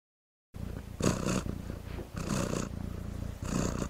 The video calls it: Cat Purring Sound Effect [Copyright Free] ASMR